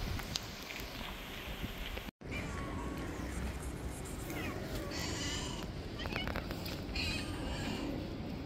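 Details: A street cat, biting a finger because his food came late, gives a few faint, thin meows with rising and falling pitch. Heavy low rumble and outdoor noise run throughout, broken by a brief silent gap early on.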